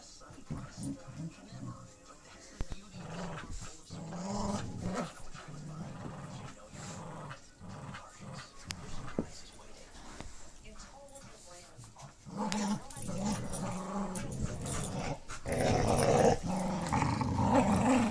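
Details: An adult female Pit Bull Terrier playing tug with a puppy in low light indoors, rolling over and letting him win, growls low and rumbling in play, with snorts and bursts of panting.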